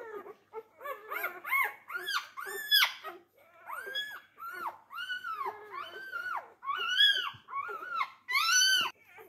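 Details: Labrador Retriever puppies, four days old, squealing while competing for their mother's teats indoors; a steady run of loud, high, arching whines and squeals, each rising then falling, roughly one every second or two.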